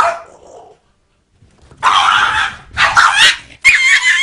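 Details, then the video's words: Dog making cat-like noises: a short, faint mewing note, a pause, then three louder harsh, wavering bursts in quick succession, each under a second long and slightly squealing. "Dog makes cat noises"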